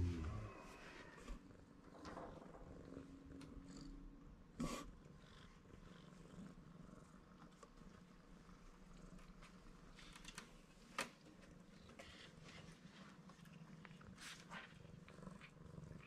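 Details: Purring of a male black-and-white tuxedo kitten, one of a pair of rescued stray brothers, as someone simply comes near. A soft, steady low rumble runs through the clip, with faint handling rustles and occasional clicks.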